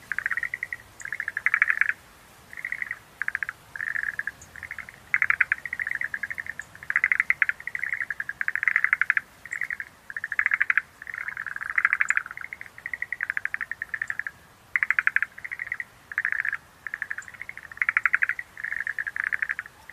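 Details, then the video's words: Schlegel's green tree frogs in a dense chorus of rapid pulsed, rattling croaks near one pitch, bursts lasting about a second with short gaps, several callers overlapping; faint high ticks now and then. "Sounds of nature scenery-Rhacophorus schlegelii"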